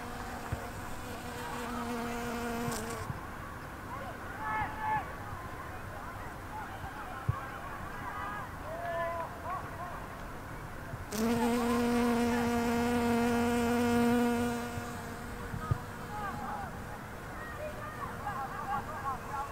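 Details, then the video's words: Loud bee filmed 10 September 2020. A low droning buzz at the start, then quieter background with faint sounds, and a second strong, steady burst of buzzing near the middle, followed by a man speaking Dutch. "The LOUDEST bee"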